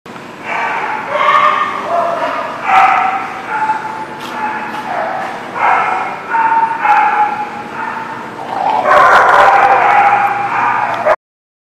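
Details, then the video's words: Dogs barking, recorded on 13 September 2019; overlapping harmonic barks and yips run almost without pause for eleven seconds, thickening into a louder, denser chorus near the end. "The Barking Lot"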